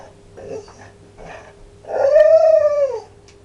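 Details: Dog making funny sounds: after two short, soft, breathy grunts comes a loud, sustained, howl-like whine of about a second that rises slightly and then falls away, with a steady low hum beneath.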